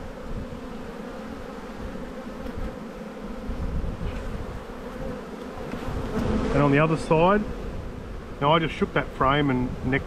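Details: Steady low drone of a honey bee colony in an Australian bee yard at spring buildup, 7-9-22, heard alone for the first six seconds before short bursts of a man's voice cut in over the buzzing.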